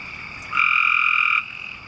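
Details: Frog calling loudly on a rainy night beneath a street culvert in a West Raleigh neighbourhood, with about half a dozen others around. One steady, even trill lasts nearly a second, then stops, leaving a fainter trill and wet background noise.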